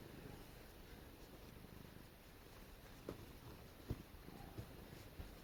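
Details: Pet cat, a female, snuggling while being petted, gives a steady low rumbling purr that runs throughout, with a few soft clicks and taps near the end of the clip.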